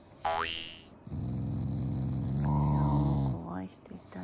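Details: Shiba Inu named Tai growling while being fed, a sound of affection rather than anger: a low rumbling growl held for about two seconds, with a woman's voice talking to the dog before and after.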